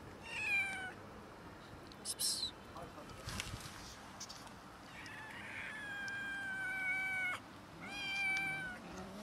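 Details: Cats and a kitten quarrelling over food: high, harmonic-rich meows, a short one at the start, then long drawn-out cries around the middle and a rising-falling meow near the end, with scattered clicks and background noise between.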